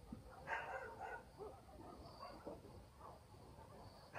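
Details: Village dogs barking at night in the countryside, heard from a distance: short, harsh barks near the start, a pair about half a second apart, then a final bark at the end over a steady low night background.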